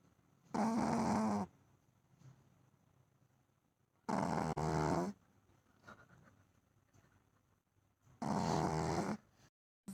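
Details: Shih Tzu dog snoring: three loud, rough, rattling breaths about a second long each, spaced roughly every three to four seconds, with quiet between them.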